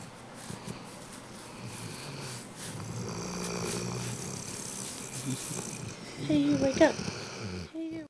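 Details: Rhodesian Ridgeback Georgia, a pet dog, snoring while asleep after a long day at doggy day camp and two bowls of food: low, rough breaths repeating steadily, a person speaking quietly over them and a short louder voice near the end.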